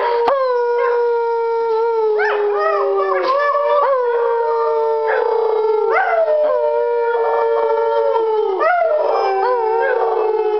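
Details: Two Rhodesian Ridgebacks, a two-year-old male and his five-month-old brother, howling at the moon: long sustained tonal howls that hold steady then slide downward, overlapped by sharper rising yelps that break in about every two seconds.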